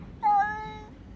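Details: House cat crying out on seeing another cat outside; a single short loud meow, sharp at the start then holding steady and fading within about half a second.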